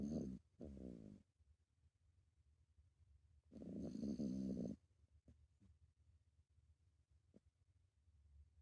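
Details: Toy poodle named Maruhia snoring while asleep: two drawn-out, rumbling, buzzy snores about a second long, separated by a quiet pause of a couple of seconds, with faint breathing between.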